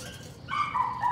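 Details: A Patterdale Terrier puppy during evening rat work with its litter: a single drawn-out, high whining yelp that wavers and falls slightly in pitch, with a low background hum.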